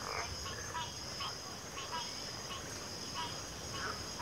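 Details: Chorusing frogs give brief clipped croaks roughly every half second, layered against a constant high-pitched insect whine.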